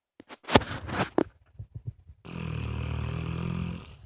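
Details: Moses, a pet dog indoors, gives one long rasping snore lasting nearly two seconds, low and rumbling, after a run of short clicks and snuffles.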